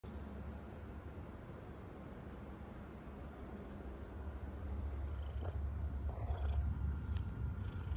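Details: Contented domestic cat purring steadily, a low continuous rumble with a quiet start that grows louder after about four seconds, plus a few faint clicks and rustles.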